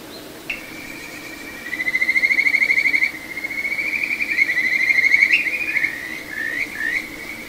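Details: Kajika frog at a small satoyama stream, Ichihara, Chiba, Japan, recorded 9 June 2022: a sustained, finely trilled whistle swelling in loudness, then wavering and breaking into a few short slurred notes, over quiet flowing water.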